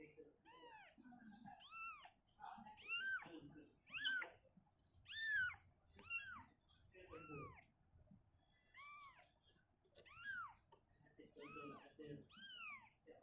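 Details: Shizuka, a mother cat, carries her kitten away from a cabinet into an open area. Repeated arched meows, roughly one per second, dominate, with occasional human voices in the room.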